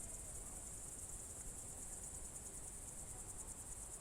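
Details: A cricket chorus on a June 2023 evening at Novye Buregi, Novgorod Oblast: a bright, sustained high trill throbbing in quick regular pulses above quiet low-pitched ambient noise.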